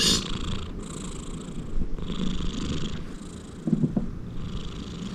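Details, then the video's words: A big male Persian Himalayan cat snores loudly with low, rough, rumbling breaths in a steady rhythm. "Loud snoring sound of a big persian himalayan cat"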